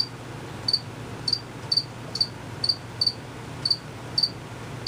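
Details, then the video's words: Hidden crickets giving high, sharp chirps, each a quick double pulse, spaced about half a second apart, with a low steady hum behind. "Cricket Chirping for 5 minutes."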